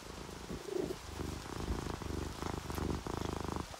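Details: Contented domestic cat, orange tabby or calico, purring while resting; low buzzing rumble in quick pulses that swells and eases every half second or so, a brief soft squeak early on, rain barely audible.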